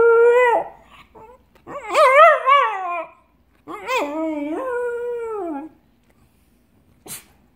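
A Cocker Spaniel gives wavering, drawn-out howls with rich harmonics, each lasting about two seconds.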